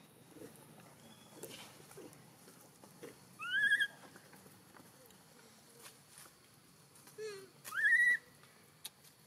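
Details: Newborn baby macaque in Siem Reap Province, hungry for milk after being taken away by Tarzanna for a long time, gives two loud tonal cries that rise then fall, about four seconds apart, with faint clicks and rustling between.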